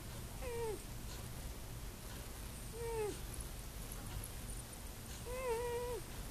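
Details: Sleeping domestic cat, apparently dreaming, snoring like a person: soft whistled nasal tones that bend downward, one with each breath about every two and a half seconds, over a low steady room hum.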